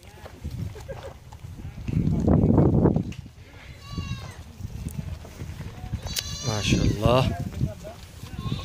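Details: Young goats feeding on a brunch meal; a loud low rumble early on, then a wavering, vibrato bleat late in the stretch over background talking and chatter.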